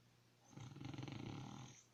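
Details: Sleeping dog giving one long, rough snoring breath: a low rumbling rasp that swells over about a second and a half, then fades into quiet.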